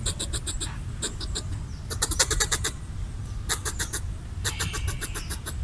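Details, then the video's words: Territorial red squirrel eating coconut bits and chattering to drive away a person; short bursts of fast, dry, clicking pulses separated by brief pauses, with low background rumble. "Red squirrel chattering while eating coconut bits / Ardilla roja parloteando mientras come coco"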